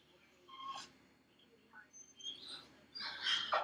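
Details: Felix, a dog left alone in his dog crate at home, cries with high thin whines and short yelps, three brief bursts spread across the moment in a quiet indoor room.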